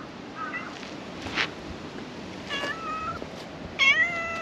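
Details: Black cat emerging from under the floor of a shrine to be petted: soft, short meows, a few faint and breathy, closing with a clearer rising-falling meow near the end over a quiet hiss.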